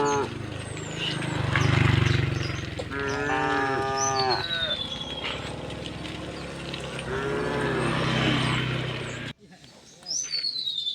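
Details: Cows walking through a village toward the fields give two moderate moos amid a heavy low rumble of engine-like noise, with bird whistles overhead before the sound abruptly drops.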